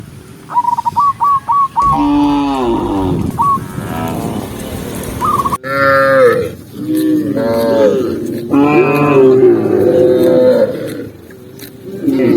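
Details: Huge herd of tame cows, tens of thousands, walking through open countryside in daylight; a burst of short repeated chirps opens, then many overlapping drawn-out moos rise and fall, some deep, some higher and arched.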